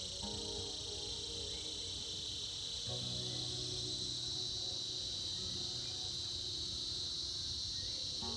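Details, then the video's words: Cicadas in a winter chorus, a dense, unbroken high buzzing hiss that holds steady throughout, with soft tonal instrumental music running underneath. "Buzzing sounds of Cicadas"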